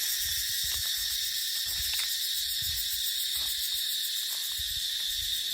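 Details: Dry-season cicada chorus in dipterocarp forest, a steady shrill buzzing wall of sound with a quick throbbing texture, over soft, irregular low puffs of wind.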